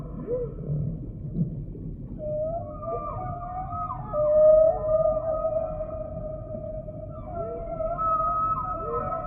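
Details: Humpback whale song: a long clear mid-pitched moan with harmonics swells loudest in the middle, with short curving upswept cries at the start and end, over steady low hiss.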